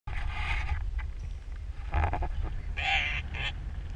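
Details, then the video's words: Elephant seal pup, one of two friendly pups on South Georgia near Antarctica that cuddled close, gives three harsh, buzzy, harmonic bleats, the last long and wavering, over a steady low wind rumble. "Loveable Elephant Seal Pup"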